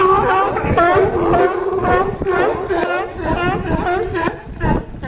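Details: Harbor dock at Crescent City, California, with California sea lions giving steady raspy, honking barks about two per second, layered over a sustained low drone from the crowded group.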